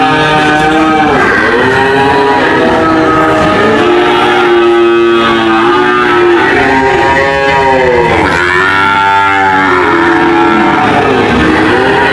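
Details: Cattle lowing with several overlapping moos, long drawn-out calls whose pitch swells and sinks, following one another almost without pause across the whole stretch; loud and dense throughout.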